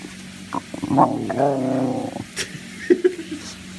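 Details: Basenji named Kyan, a pet dog playing while hiding under the owner's bed, gives a drawn-out wavering, yodel-like moan of about a second with rich harmonics, preceded by short yips, with a few soft knocks afterwards.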